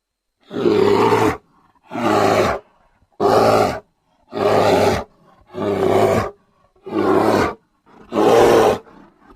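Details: Grizzly bear roaring in a steady series: seven harsh, throaty bursts, each close to a second long, repeated roughly every 1.3 seconds, with faint breathy noises in the short gaps and no background sounds.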